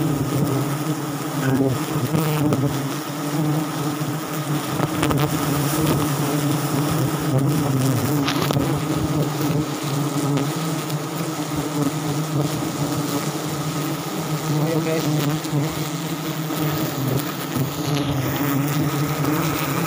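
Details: Harvest at a sialang tree in South Sumatra, where wild forest honey bees fill the air with a constant deep buzz, a layered steady hum holding even loudness for twenty seconds.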